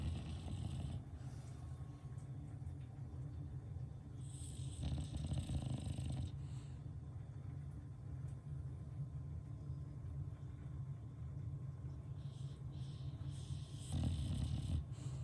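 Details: Sleeping English Bulldog named Lincoln at bedtime, giving a continuous deep, rumbling snore broken by airy, hissing breaths that rise around four to six seconds and again near fourteen seconds.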